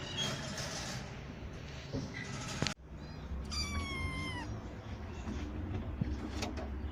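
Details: Kittens of rescued street mother cats, now grown and kept safe in a cat house, give a clear falling meow with stacked harmonics midway, over low rumbling background noise and earlier faint mewing.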